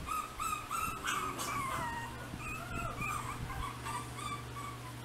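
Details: Pocket-sized green-eyed Chihuahua from a breeder gives high, thin whining whimpers, rising and falling, in quick repeated bursts over a steady low electrical hum.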